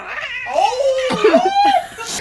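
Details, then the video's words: Angry domestic cat caterwauling indoors: a drawn-out, wavering yowl that sags and rises again over about two seconds, with a short harsh break midway. "Angry Dogs & Cats"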